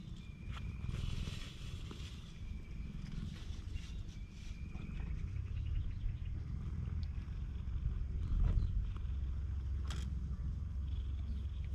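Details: Affectionate stray cat on a cat island, recorded with a GoPro HERO8 Black, giving a continuous deep pulsing purr that swells toward the end, with scattered soft clicks and a faint high whistle in the background.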